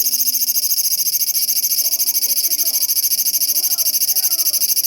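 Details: Large brown cicada singing on 1 September 2020, a loud, continuous, sizzling high buzz made of rapid, even pulses that runs the whole time, with faint low voices murmuring underneath.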